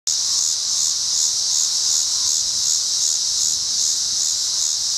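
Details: A Tibicen dealbatus cicada walking and calling in a tree at a Colorado rest area along I-70 at 7:44 p.m. on August 25, 2011, in wind before an oncoming storm; a steady, loud, high buzzing drone with gentle regular pulsing throughout.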